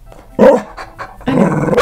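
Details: A senior female rescued Staffordshire Bull Terrier mix gives two short, rough, harsh barks, each a sudden loud burst with a throaty, slightly growling edge; faint huffs come between them, and the second bark is cut off abruptly.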